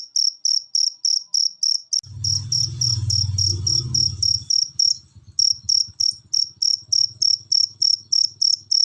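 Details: Cricket used as a masteran tutor recording for pet birds that rarely sing. Rapid high chirps at about three per second, broken by a loud low rumbling thump for two seconds and a brief pause.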